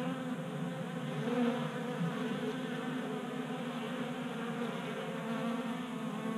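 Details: Many honey bees crowd a 3D printed bee feeder in a Colorado garage on a 60-degree January day, their wings making a dense, continuous droning hum with overlapping pitches and no other sounds.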